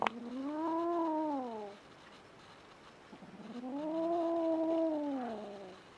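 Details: Rin, a young female kitten born in spring 2016 and newly adopted, threatens Tama, the resident male cat. She gives two long, drawn-out yowls, each rising and then sagging, separated by a brief quiet gap.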